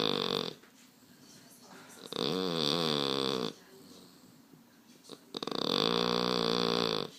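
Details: Deeply asleep French Bulldog, Baba249, snores in long buzzy rasps of about one and a half seconds, each followed by a quiet inhale gap; indoor recording with no other sounds.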